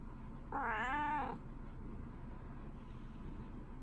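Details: Female house cat greeting her owner in the morning, in a home shared with a Shiba Inu; one clear, rising-then-falling meow lasting under a second, followed by quiet room sound and faint low background hum.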